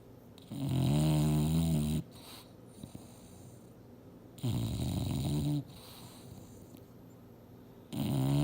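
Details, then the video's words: English Bulldog named Mildred sleeping and dreaming on a couch, sawing logs: long, deep, buzzing snores lasting over a second each, returning roughly every three seconds, with soft breathing between. "SNORING BULLDOG SLEEPING & DREAMING HARD!!!"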